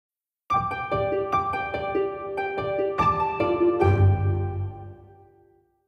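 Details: Plucked harp notes play a short, bright melody, then fade away.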